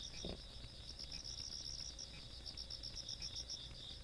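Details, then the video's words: Insects calling on a country night in Korea, recorded 17 August 2022: rapid pulsed chirps and a steady high trill, several callers overlapping, with a low rural hum beneath and a brief soft knock early on. "시골밤 벌레소리"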